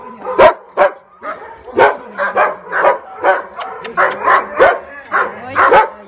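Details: Female Rottweiler giving loud, harsh barks mixed with short whiny, tonal yelps, repeated irregularly over several seconds.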